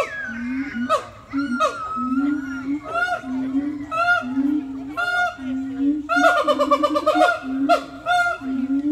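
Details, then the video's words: Siamangs at a zoo give loud, honking, rising hoots in quick succession, building into a dense, excited chorus described as mating calls. "Siamang Apes"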